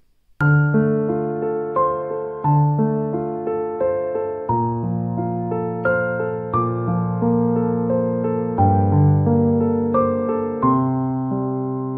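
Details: Soft electric piano melody with gently decaying chords struck about every two seconds, and no animal sound.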